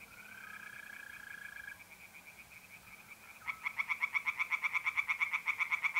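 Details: Night pond in north-eastern Italy, mid-April: trilling mole crickets fill the opening seconds, then tree frogs burst in with loud, rhythmic pulsed croaks, roughly three per second, carrying to the end.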